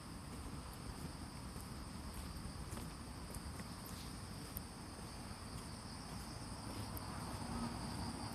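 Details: Lively chorus of autumn insects in Fujimori Park, Hachioji, Japan, early on a drizzly, cooled morning, 6 September 2020: two continuous shrill tones persist throughout, scattered short ticks above, and a heavy low rumble of ambient noise beneath.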